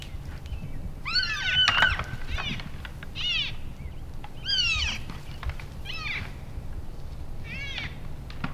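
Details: Elk bulls sparring in play in late January after the rut, in Canada's Rockies; about six short arched, high squealing mews with bright overtones, spread over the clip and mixed with sharp knocks and clacks, plus a low steady rumble.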